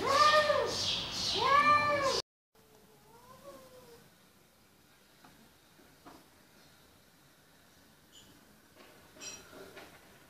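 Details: Angry cats fighting: a loud, wavering, drawn-out yowl with rising and falling pitch for two seconds, then near silence with a faint soft meow and small rustles.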